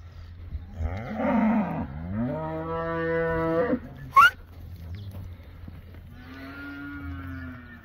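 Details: Moos from a herd of 24 Beefmaster first-calf cows and their 24 calves: a long bellow that rises then holds steady, a sharp click, then a softer, shorter moo over a low rumbling background.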